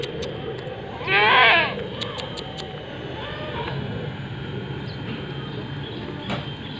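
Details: Young Etawa doe, seven months old and 70 cm tall, lets out one short, loud, shaky bleat over steady background hum. A few faint clicks follow.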